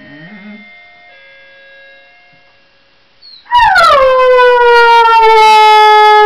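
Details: A dog named Honey singing along to music: after three seconds of soft, steady instrument tones, a loud sustained howl starts high, slides down, then holds a long, steady, rich-toned note to the end.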